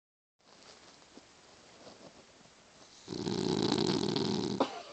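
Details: Maddy, a Boston Terrier, snores while sleeping, a rough, broad rasping breath that swells loud after a quiet start.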